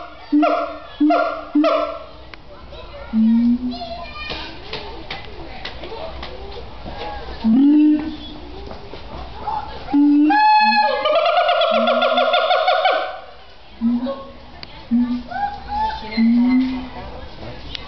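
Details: A siamang at Oregon Zoo, being very loud, gives loud, repeated whooping calls and barks, some rising sharply, over background voices.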